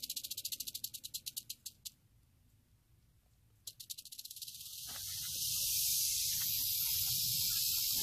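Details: Western diamondback rattlesnake rattling, starting in a quick series of separate dry bursts for about two seconds, then a short pause before the rattle resumes as a steady, unbroken high hiss that grows louder toward the end.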